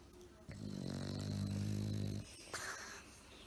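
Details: Sleeping bulldog, worn out and napping, lets out a single deep, droning snore of nearly two seconds with a steady buzzing tone. A brief faint noise follows in a quiet indoor setting.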